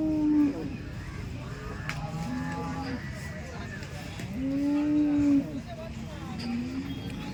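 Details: Dairy cows at Loni cow market, two long level moos, one at the very start and a longer one in the middle, with voices and busy market background.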